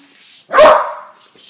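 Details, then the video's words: A 10-month-old female beagle afraid of balloons gives a single loud, harsh bark that trails off, with faint rustling before and after. "Bailey the beagle vs. Balloons"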